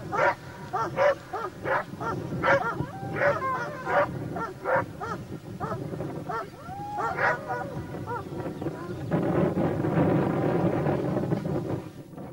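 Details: Laika hunting dogs pursuing wild boar alongside a labrador bark in quick, sharp, repeated yelps for several seconds, then fade behind steady rushing background noise.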